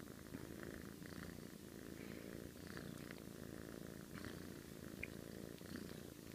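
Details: Snoring from a sleeping pet cat: an unbroken deep, fluttering drone of fast pulses, fairly even in loudness, with scattered faint clicks on top.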